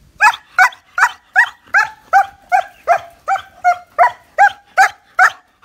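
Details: Young male German Shepherd, nine months old, barking in a steady, rapid series of about fourteen sharp, evenly spaced barks, roughly two to three per second, with no other sounds.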